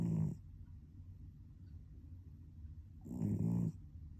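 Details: Snoring from a sleeping cat: a brief rumbling breath at the start, then a louder, longer throaty snore near the end, with soft hum in between.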